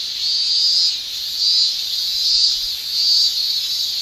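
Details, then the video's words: Male cicadas in a Japanese summer, singing with their tymbals: a high, shrill, steady hiss that swells into louder pulses roughly every second, with no other clear sounds. "Japan Summer Cicada Shrilling"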